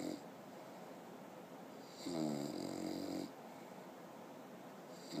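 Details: A sleeping six-month-old English bulldog gives a long, rattling, buzzy snore, then a quiet pause before the next breath.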